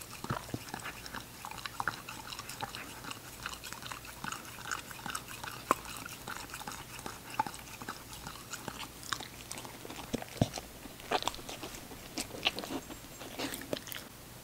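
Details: Ginger, a young female English Cocker Spaniel, eating: continuous crunching and chewing, bites coming in quick irregular runs, several louder snaps, soft hum in the background.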